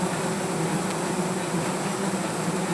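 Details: Angry native honey bees swarming around a wild comb under a tree while honey is harvested; a dense, steady, low drone with even layered hum throughout and no clear breaks.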